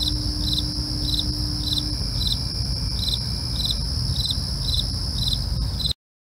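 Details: Crickets calling at night: short, high pulsed chirps repeated steadily about twice a second over a continuous thin high-pitched ringing and a low background rumble, ending abruptly near six seconds.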